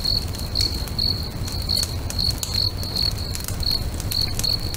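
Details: Lakeside crickets at sunset keep up a bright, even chirp roughly every half second, each pulse a short high trill, while a bonfire crackles with sharp pops and a deep low rumble underneath.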